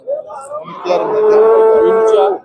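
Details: Cattle for sale at a bazaar in Andijan, Uzbekistan: a short low opening note swells into one sustained, even moo lasting about a second and a half, then cuts off cleanly.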